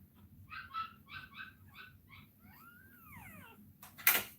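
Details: Cane Corso dog crying while Cashmere is in labour: a quick run of short, harmonic whimpers in pulses, then a long drawn whine that rises and falls away, ending with a sharp knock.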